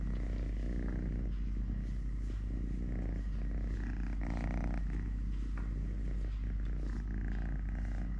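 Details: Purring of Totoshka, a three-legged cat who lost a leg at birth, while eating, playing, walking or fighting with a hand: a steady, low, rumbling purr with irregular pulsing texture and some background noise.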